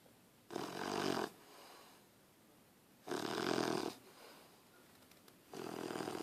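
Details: Harley the puppy snoring while asleep on a person: three harsh, rattling in-breaths at intervals of roughly two and a half seconds, each lasting close to a second, with soft room quiet between.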